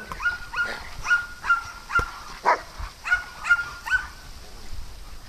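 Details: Dog at play on a farm where cats also live, giving a quick series of about eight short, high, tonal yips, roughly two each second, with quiet pauses between.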